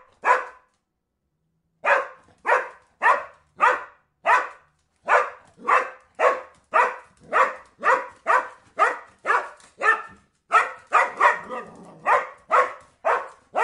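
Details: Dog barks over and over in a steady run of nearly two per second after a single opening bark and a short pause, growing denser toward the end.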